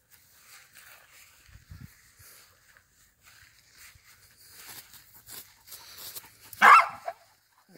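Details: A Siberian Husky gives a sudden sharp yelp of pain on getting an electric shock from an electric fence, after a mostly quiet stretch.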